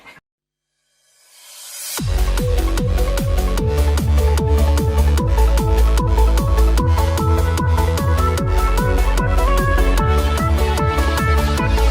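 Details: Electronic dance music with a heavy repeating beat starts after a brief silence and fills the rest.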